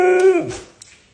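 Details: Pet Siberian Husky, male, vocalising in protest at being told he is getting overweight and needs a diet; a brief, tonal, whining howl under half a second long that wavers and drops, followed by quiet room noise.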